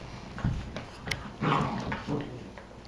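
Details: Two three-month-old Cocker Spaniel–Basset Hound mix sisters, Ripley and Vasquez, fighting playfully indoors; brief sharp yelp, then a drawn-out raspy growl and a closing snarl.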